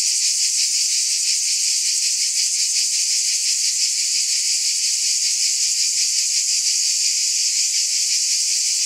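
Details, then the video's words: Cicadas droning in a constant high, electric-sounding hiss with rapid faint pulsations, unchanging throughout and free of other sounds. "Scintillating Cicadas"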